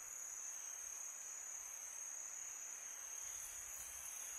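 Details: Night chorus of crickets in summer, a constant piercing high trill at one even pitch, with a breathy wind hiss filling the lower background for the whole stretch.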